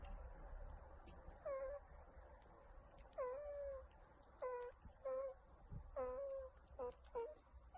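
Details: Meerkat vocalising as it gets scratched: a run of whining moans, each sliding down then holding steady, some short and some long, with soft clicks and rustling between.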